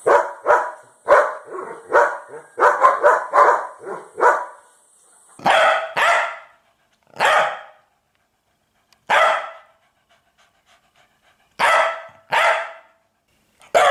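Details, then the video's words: Domestic dog giving bursts of sharp, harsh barks: a rapid flurry of about ten barks at the start, then single barks separated by pauses of one to two seconds, with silence in between. "sonido de perro"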